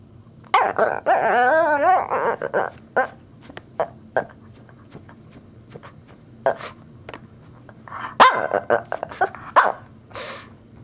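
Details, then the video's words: Wanting to play, the Shih Tzu Wrigley yelps and whines in a quivering, warbling rise and fall, then gives scattered short barks and grumbles over several seconds indoors. "My Shih Tzu Dog: Making weird & funny noises"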